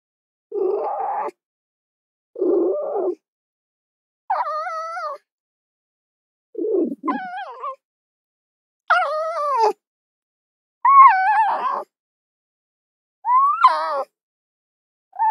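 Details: Fox vocalizing: rough, low, grating bursts give way to higher, quavering, whine-like cries, repeated roughly every two seconds with silent gaps between them.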